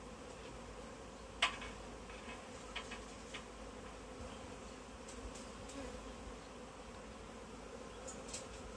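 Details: Honey bee swarm gathered in a tree, being caught into a bag; steady low droning hum throughout with a few brief clicks and knocks.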